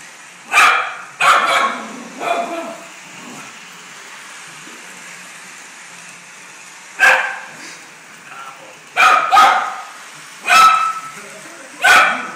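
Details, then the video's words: Indoor Maltese barks at a running Lionel Polar Express model train, giving loud, sharp yips in clusters, three quick barks at the start, a quiet pause, then a rapid run of five barks near the end. "Maltese barking at Lionel Polar Express set"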